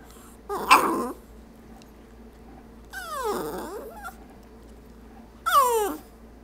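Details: Stormy, a pet dog indoors, tries to 'talk' while eyeing the treat jar: three separate drawn-out whining, yowling vocalizations, each about a second long with wavering, sliding pitch, separated by quiet pauses.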